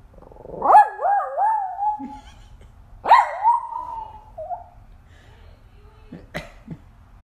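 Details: Dog answering a wolf sound played by a digital assistant with two wavering, yodel-like howls that rise sharply then waver and fade, followed by a few short clicks and knocks.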